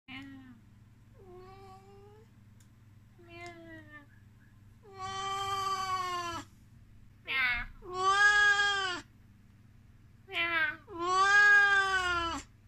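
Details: Oriental Shorthair cat, a male born May 2015, affectionate and talkative, gives loud, drawn-out, nasal, funny meows after a few soft, short mews; recorded indoors in Kemerovo, Russia, in late December 2019.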